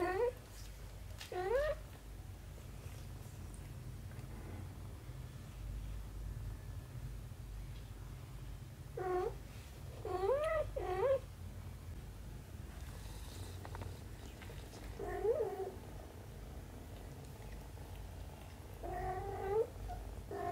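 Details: Mother cat with her kitten indoors, with soft rising-falling meows in short clusters spread across the recording over a steady low hum.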